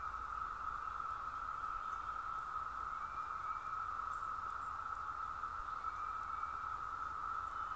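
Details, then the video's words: In North Georgia, a dense chorus of Brood II 17-year cicadas gives a steady, droning hum that holds at one pitch without pause. "Sound of the 17 Year Cicadas Brood 2 Georgia"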